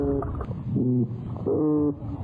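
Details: Oyster toadfish (Opsanus tau) gives two low, droning boatwhistle hums, each about half a second long, over a murky underwater rumble; fish make such sounds by contracting sonic muscles beside the swim bladder.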